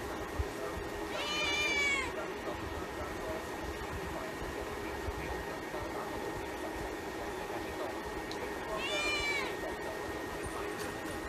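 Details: Little kittens meowing: two soft, high rising-falling meows about seven seconds apart over a steady background hiss and a faint constant tone.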